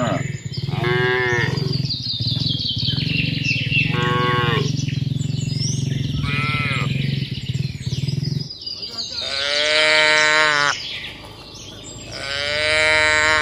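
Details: Tame cattle herd with calves running home to the farm pen in the rainy season; rising-falling, fairly high-pitched moos in short bursts, with a steady low rumble in the first half and faint bird chirps above.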